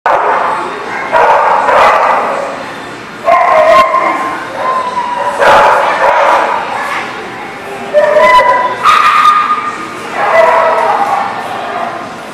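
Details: Dogs barking in a group lot, loud bursts of overlapping barks and yelps arriving every few seconds, separated by quieter stretches of background barking.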